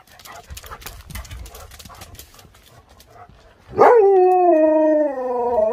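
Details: Siberian Huskies eager to get outside and play. Several seconds of shuffling and muffled handling noise, then a loud tonal howl rises sharply, levels off and holds for about two seconds with a slight waver.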